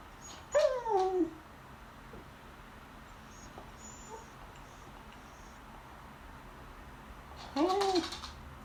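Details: Female Beagle begging at the table during lunch while staring at the people eating: two high, drawn-out whines that slide downward, about seven seconds apart, with a quiet room between them.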